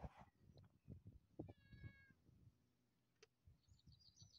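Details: Domestic cat, always eager for food, with a brief steady meow around the middle, amid thumping low noises, a sharp click and quick high chirps near the end.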